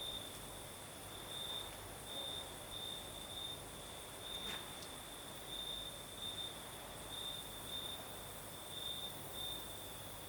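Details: Crimean crickets chirping through a southern night with a gentle breeze, steady shrill trilling broken into pulsed bursts about every second, a faint higher band above, and a brief sharp click near the middle.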